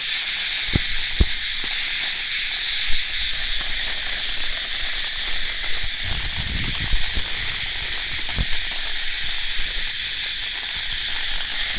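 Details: Steady cicada buzz like hissing steam, unbroken throughout, with sharp low knocks and a brief low rumble partway through.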